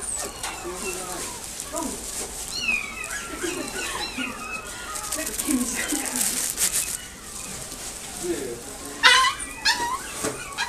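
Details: A Shih Tzu puppy at a pet shop in Nagoya gives soft, high whimpers and yips amid human speech.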